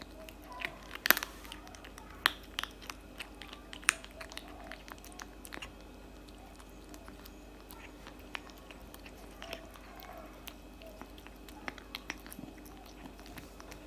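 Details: Cat chewing cat food indoors: irregular crunchy bites, a few sharp loud cracks early, then lighter steady munching clicks about once a second, with faint murmuring in the background.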